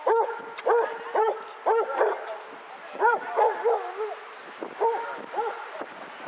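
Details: Outdoor gathering of 22 Basset Hounds at Hazlehead Park in Aberdeen, 2 February 2014: repeated booming barks in quick series, a brief lull, then more barks, with background talk and footsteps.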